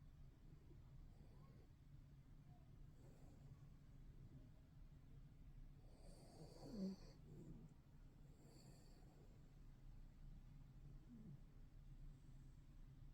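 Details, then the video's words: A dog snoring with a faint, steady low rumble that runs throughout, swelling into a slightly louder breath midway. "견생2회차 저세상 코골이"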